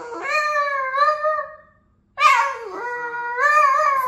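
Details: Boston terrier singing indoors, giving two sustained, slightly wavering howls separated by a silent gap, the second starting with a sharp, strained onset before levelling into a steady tone.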